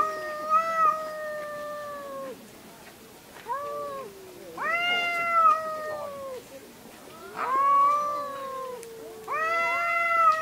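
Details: Fighting cats screaming: sustained tonal yowls lasting up to two seconds, some bending upward then sagging, separated by brief quieter gaps, with a faint hiss between wails.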